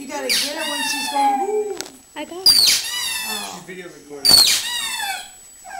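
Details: Pug named Bessy howling for her toy: a low murmuring start, then two loud strained bursts that sweep down into wavering whines, repeated about every two seconds.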